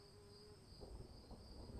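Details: Crickets calling in the rain, steady high-pitched ringing tones held without a break, with the low rumble and patter of rainfall beneath and a brief lower whistle near the start.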